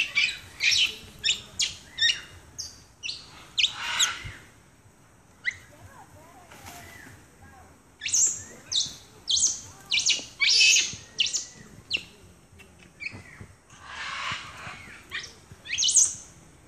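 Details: Capuchin monkeys in Ecuador, April 2015, several ganging up on one: a run of short, sharp squeaks and harsh hissy squeals in quick clusters, a pause midway, then louder bursts again, with a person talking.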